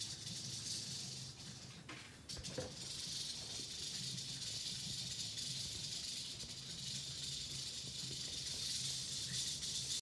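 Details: Eastern diamondback rattlesnake (Crotalus adamanteus) rattling: a steady, dry, high-pitched buzzing hiss that runs almost unbroken for the whole ten seconds, dipping briefly near the two-second mark, over a faint low hum.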